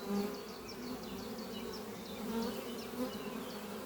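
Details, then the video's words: Honey bees flying at a horizontal hive made from an old French oak chest under trees on a spring morning, bringing in pollen; a steady droning buzz with a strong low hum, while a bird repeats short high chirps in the background. "Relaxing sound of bees flying at beehive Doppio on a spring morning"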